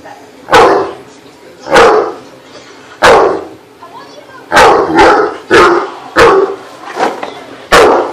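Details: Male Great Dane and Akita mix, agitated at night because he missed his best friend, barks deep and harsh in a steady series of about nine barks roughly one second apart, with a woman's voice telling him to stop.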